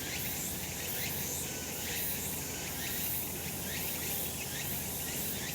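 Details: A sunlit summer mountainside full of cicadas, their shrill sizzling buzz unbroken and pulsing gently about once per second.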